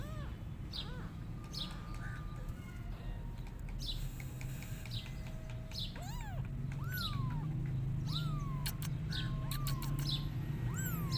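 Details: Kittens meowing and crying to call their mother cat as she runs away from them; after a quieter start, about five high arched meows rise and fall in the second half, over frequent sharp bird chirps and a steady low hum.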